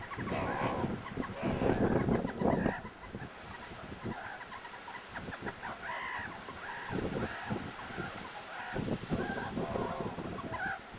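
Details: Wrestling meerkats at the Kalahari Wildlife Sanctuary give short arched, nasal squeals, clustered in the second half, between loud broadband scuffles and thuds of bodies tumbling.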